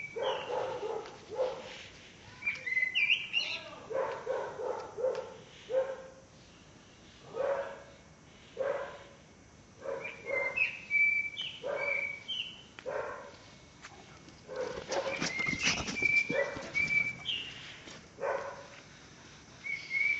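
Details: Pələng, a Caucasian Shepherd Dog aged one year and one month in Azerbaijan, gives a long run of steady barks about once a second, while birds whistle and chirp behind him outdoors.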